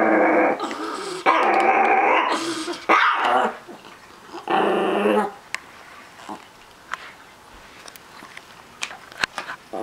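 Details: Chihuahuapin, a Chihuahua-Miniature Pinscher mix, growling possessively over his treats: several long rumbling growls in the first five seconds, then quiet with faint clicks and small knocks.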